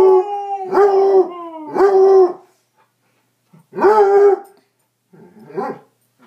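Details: Domestic dog howling in a contest with a person: sustained tonal howls with rising starts and steady middles, two back to back, a pause, then another strong howl and a softer, broken final one.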